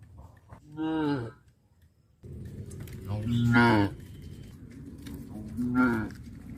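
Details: Cows on a traditional village farm, eating cardboard at the roadside, low in drawn-out, harmonic moos, three calls rising and falling over a few seconds.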